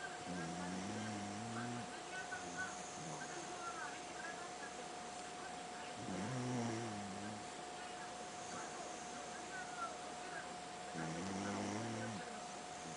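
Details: Pet dog snoring, said to sound just like a man's snoring: low rumbling harmonic snores in separate bouts, at the start, around six seconds and near the end, with a steady electrical hum throughout.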